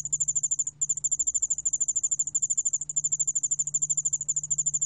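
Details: Korean ground cricket (yeoul-allak-bangul-beolle), 2020 recording from the National Institute of Biological Resources: a nearly continuous shrill pulsed trill with a single short break near the start, steady low hum beneath.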